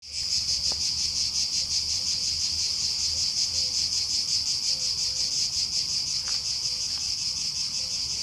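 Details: Cicadas in chorus on a summer day at Aghios Kosmas, Helliniko, Athens, Greece: a dense, continuous high buzzing hiss with a fast pulsing throb, steady and unbroken throughout, with a few faint chirps in the background.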